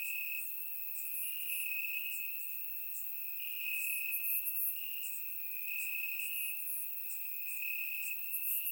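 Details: Bulgarian crickets calling from grass at night in warm summer weather, captured in surround sound; one unbroken high-pitched trill with rapid, irregular bursts of sharper chirps layered above it.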